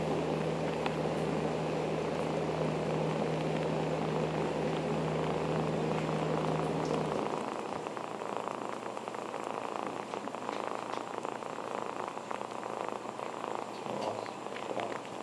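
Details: Foster kitten Dusty, in Humane Society care, nurses on his beloved bath mat, giving a steady low purr for about seven seconds before it stops, leaving soft rustling and scratchy handling noise.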